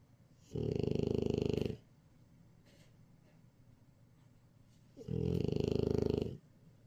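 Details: Napping French Bulldog gives two long, throaty snores, each just over a second of rapid rattling pulses, separated by roughly four seconds of near silence in a quiet room.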